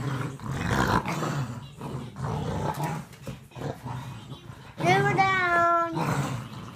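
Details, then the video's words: Boston Terrier and Whippet mix dog during a game of tug-of-war, growling in a steady, choppy rumble before breaking into a high, wavering whine toward the end. "Boston Terrier and Whippet mix playing tug-of-war."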